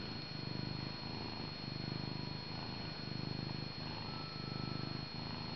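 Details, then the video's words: Pet tomcat purring near his owner or on the lap, a deep motor-like rumble rising and falling in even swells with each breath, about four cycles in five seconds, in a quiet indoor room. "My Cat Purring Up a Storm"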